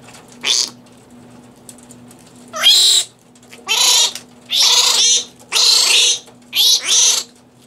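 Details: Captive fruit bats at a bat conservation headquarters in Bloomfield Hills, Michigan, eating fresh romaine lettuce under infrared lighting. Harsh, buzzy squawks come in half-second bursts about once a second over a steady low hum.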